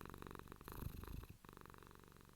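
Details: Low rumbling purr of a domestic cat, briefly swelling louder near the middle before settling back into an even throb.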